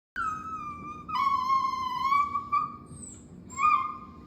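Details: Chinese rural dog, a pet, whining as if trying to talk out of craving. It gives long, steady, whistle-like whines that dip slightly and hold level, with a brief higher squeak in a quiet room.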